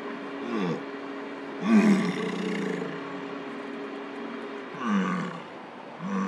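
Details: Wild male American bison during the rut in Lamar Valley, Yellowstone, vocal near a car while courting a female; deep, throaty bellows rise and fall at roughly three-second intervals over a constant vehicle drone.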